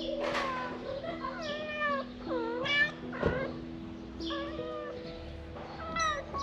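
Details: Stray cats meowing repeatedly, with short arched, rising-then-falling mews overlapping at a steady pace, some long and drawn out, over a constant low droning tone in the background.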